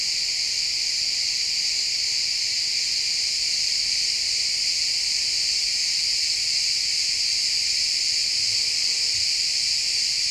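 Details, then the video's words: Crickets chirp in a pine forest at sunset, recorded in stereo; dense high-pitched trilling continues without break, and a brief faint low sound appears near the end beneath the chorus. "Cricket sounds in the pine forest"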